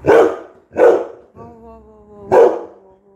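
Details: Labrador Retriever called Coco barking. Two sharp barks come close together, then a drawn-out tonal whine or howl, then one more bark, with a softer whine trailing off at the end.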